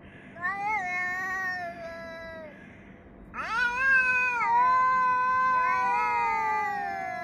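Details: Cats yowling at each other, filmed on 3 Av 5785 between 6:01 and 6:04 summer time: a wavering, drawn-out harmonic wail, a short pause, then a louder, rising cry that holds long and overlaps a second voice.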